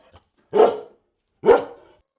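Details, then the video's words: Dog giving two sharp, loud barks about one second apart, each short and abrupt; quiet background otherwise. "This is a dog."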